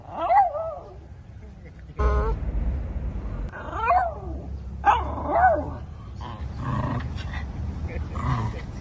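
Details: Shih Tzu giving sharp, high-pitched barks, single and in quick pairs, with a loud thump partway through and muffled background noise.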